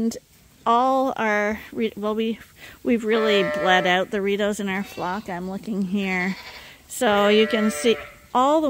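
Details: Lambs that still nurse from their mothers, topped up by bottle on a hand-made feeder at Ewetopia Farms, call in overlapping quavering bleats, nearly continuous through the middle, then in short separate bursts.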